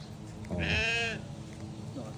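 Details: Domestic goat being fed gives one wavering, nasal bleat of about half a second with rich harmonics, framed by low background noise and a little human speech.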